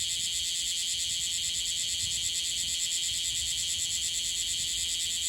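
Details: Newly emerged bear cicada in Okinawa, Japan, wings not yet fully clear and still dusted gold, singing unsteadily; a loud continuous buzzing drone with a fast pulsing texture, steady throughout.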